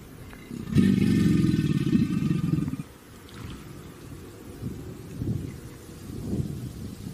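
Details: Alligator growling: a deep, rough, rumbling growl with layered harmonics that lasts about two seconds, then gives way to quieter low rustling and thumping sounds outdoors.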